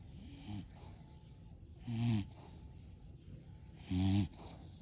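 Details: Sleeping English Bulldog, part of a five-bulldog household, snoring in a steady rhythm: low, wheezy, nasal snores with a whistling edge, repeating about every two seconds and growing louder, against faint indoor background hiss.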